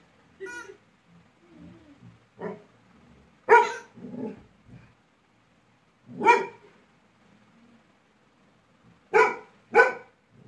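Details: Angry Labrador Retriever Laiza, annoyed by a small toy, barks in irregular bursts: about six sharp barks, some closely doubled near the end, with softer low grumbling sounds between them.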